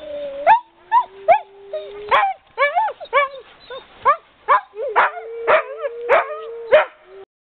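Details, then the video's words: Several sled dogs having fun in Canada, giving overlapping rising howls and sharp yipping calls that repeat in quick bursts about every half second, with long wavering tones running underneath. "sled dogs having fun"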